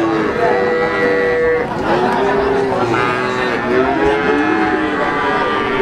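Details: Limousin cattle at the Wagenan cattle market in Pati, 29 May 2018, during the fasting month: long drawn-out moos with steady tones and falling bends, over a constant crowd murmur and market chatter.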